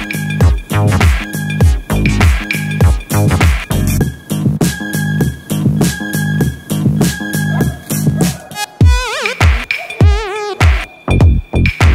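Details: Loud electronic dance music with a heavy, steady bass beat and warbling synth effects.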